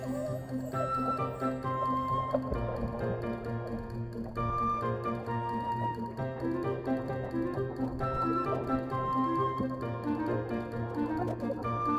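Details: Soft background music over a steady low hum fills the whole stretch, with no animal voice standing out.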